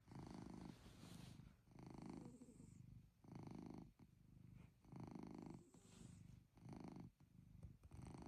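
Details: Chloe, a pet cat, snores during a cozy night in: deep, purring, motor-like rumbles in rhythmic breaths, about six low pulsing bursts over eight seconds with brief quiet gaps between them.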